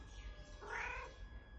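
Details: Domestic cat Charlie Chaplin answering as it is spoken to indoors: one faint, short meow about half a second long, softly rising and falling, over a low background hum.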